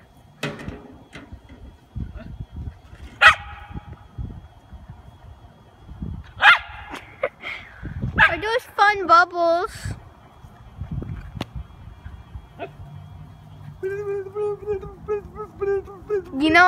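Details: Miniature poodle at play with bubbles: scattered sharp barks early on, then a run of quavering, pitch-sliding whines and yips, with later rapid repeated high notes and low voices underneath.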